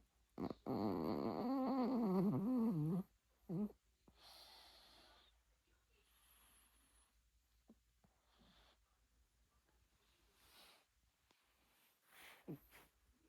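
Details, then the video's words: Puppy snoring loudly in a human-like way: one long, loud, wavering rasp of about two and a half seconds, a brief second snort, then soft quiet breaths with small sniffs. "사람 코골이 강아지(시끄러움 주의)"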